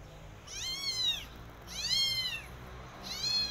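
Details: In a garden with a Persian cat and her adopted kittens, three high, thin meows ring out about a second apart, each swelling then sliding down, over quiet steady background.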